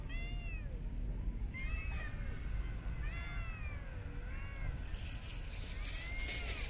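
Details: Street cats being fed, giving a run of five or six short arched meows spaced roughly a second apart over constant low rumble, with hissing noise near the end.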